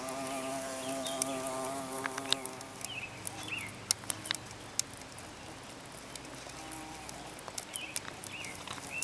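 A carpenter bee gives a low, droning buzz that fades after a couple of seconds.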